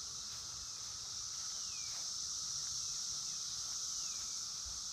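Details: 17-year periodical cicadas in Columbia Station, Ohio, in June 2016, calling all day and night, fill the air with a dense, unbroken buzzing chorus, high and shimmering with a lower droning hum.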